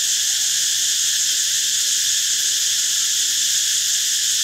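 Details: Continuous droning cicada song, a dense high-pitched hiss with banded overtones and no pauses across the whole stretch.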